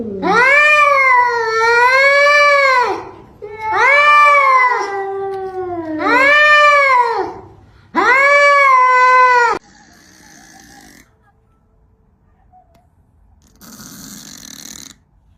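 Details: Domestic cat in a funny compilation, yowling in four loud, long, wavering wails, each rising and dipping in an arching pattern, followed by quieter scattered noises and a brief burst of rustling.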